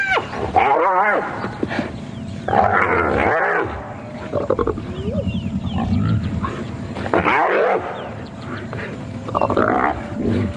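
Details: Spotted hyenas, sub-adults among them, erupt in wavering, giggling squeals, growls and contact calls as the clan attacks one hyena, targeting its ears while it struggles to escape; morning drive, 1 November 2016.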